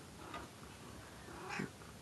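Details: Female domestic cat calling from an attic ladder indoors, her voice sounding almost human: two short meows, a soft one then a louder, rising-falling one about a second later, with a man talking quietly nearby.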